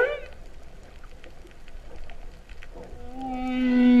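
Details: Humpback whale heard underwater off Vava'u, Kingdom of Tonga, in September 2015 while people swam with the whales; after faint underwater hiss, a steady low moaning tone rises in loudness toward the end.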